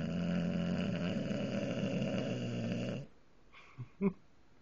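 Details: English bulldog snoring with open eyes: a steady, gravelly, growl-like snore lasting about three seconds, followed by quiet and two short soft snorts.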